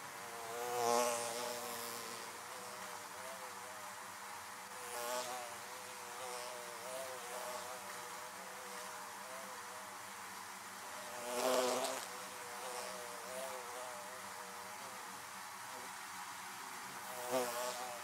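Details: Around beehives, a dense hum of many honey bees, punctuated by occasional bees zooming past the microphone in short, louder buzzing surges before fading back into the steady drone.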